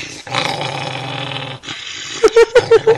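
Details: Female dog guarding her bone indoors, giving a steady, low, throaty growl for about a second and a half, followed by a quick series of short, higher, voice-like pulses.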